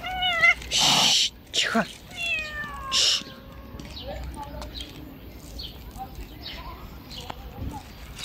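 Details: Stray cats being fed on a river bank give loud, drawn-out meows with falling pitch during the first three seconds. Softer, brief mews and faint bird chirps follow over a steady outdoor background.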